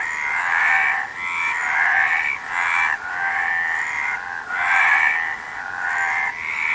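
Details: Frog calling in a nature recording, a steady chorus of rasping croaks pulsing in bursts roughly every second, with nasal rising tones layered over a dense, unbroken trill.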